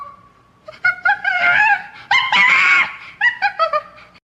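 A monkey lets out loud, shrill screams in harsh, rising bursts, then several short yelps.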